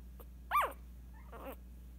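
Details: Scottish Terrier puppy, eight days old, giving a short high squeaky cry that rises and falls, followed by a fainter second squeal about a second later over a steady low hum.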